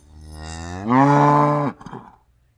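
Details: A single loud cow moo, swelling in over the first second, holding a rich steady tone, then cutting off abruptly with a short rough fade.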